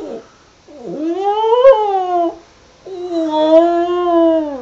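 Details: Border terrier singing two drawn-out howls. The first swoops up and then falls away; the second is steadier and sinks slowly. A short pause separates them.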